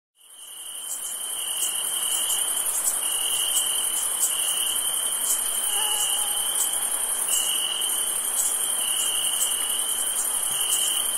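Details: Crickets on a summer night, a dense steady high chirring chorus with a continuous whine and rapid pulsing trills throughout, fading in at the start.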